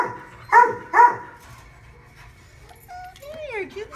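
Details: Dog mother with her puppies at Modesto gives two sharp, loud barks about half a second apart, then fainter rising and falling whining tones and a soft voice.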